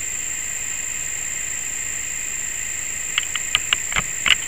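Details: A cricket gives a continuous shrill trill that never pauses, with a fainter piercing tone above it. Over the last second and a half, a run of sharp clicks or taps cuts through.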